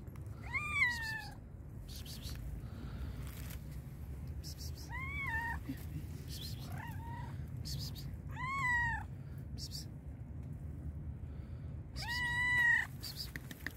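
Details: A very hungry black and white cat meows repeatedly, five harmonic rising-then-falling cries spaced a few seconds apart, with clattering and tapping sounds between them over a low background rumble.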